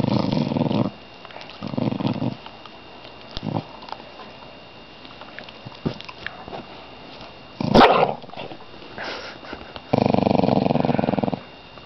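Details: Indoor pet dog, awake and growling before sleep: short throaty rumbles, a sharp knock near the middle, then one longer low growl.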